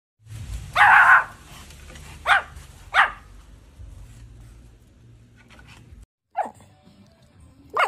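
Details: Several dogs barking in a compilation: short, sharp, loud barks at irregular intervals with quiet gaps between them, and a low steady hum underneath.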